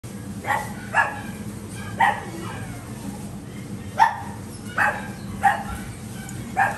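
A Yorkshire terrier gives sharp, high yapping barks in an irregular series.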